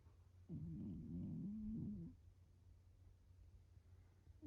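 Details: Domestic cat curled up asleep on a round stool, back turned, snoring: a low rough rumbling breath with a wavering tone lasting about one and a half seconds, then quiet room hum.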